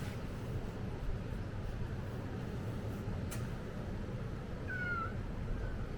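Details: Brief falling meow from a stray cat on Ikeshima cat island, recorded around the turn of 2024 into 2025. The single call comes near the end, above a constant deep rumbling background and one sharp click.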